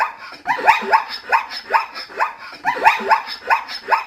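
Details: Zebra calling with a rapid run of short, yelping, barklike notes, each sweeping upward and then dropping, about three per second, and carrying clear harmonics over a steady background hiss.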